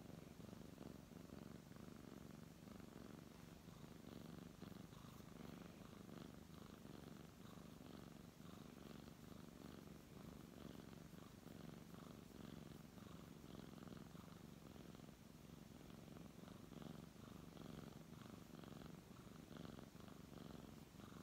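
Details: Brown tabby cat purring steadily while being stroked indoors, a low continuous rumbling purr with soft rhythmic pulsing and no break throughout, with faint rustling of fur under the hand.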